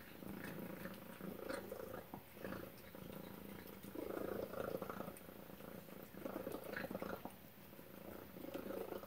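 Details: Pet cat Tacy eating a chicken and duck supper; a continuous layered purr rises and falls in waves, louder around the middle, with occasional small clicks and wet eating sounds.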